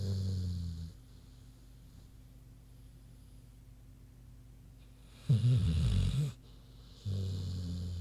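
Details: Sleeping pig named Queenie snoozing: low droning snore at the start, a rougher, louder rasping inhale after a long quiet pause, then another deep droning breath at the end.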